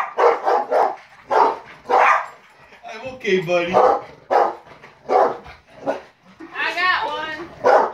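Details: Four Rottweilers that dislike the fly swatter bark indoors: short, loud, broad barks come in irregular bursts throughout. A human voice speaks near the middle, and a higher, whiny note rises near the end.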